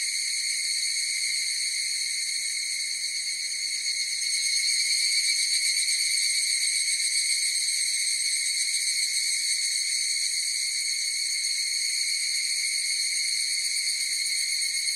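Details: Many higurashi cicadas form an unbroken high ringing chorus, a buzzy trilling wall of sound that grows a little louder after the first few seconds; no other animals or noises.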